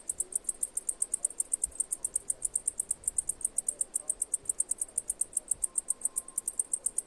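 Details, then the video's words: Continuous cicada chirps, bright and high, pulsing evenly at about six per second with a softly swelling loudness and a quiet murmur underneath. "Cicada Chirping Sounds"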